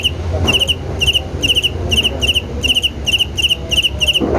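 A cricket chirps steadily, short bursts of three quick high pulses repeating about twice a second.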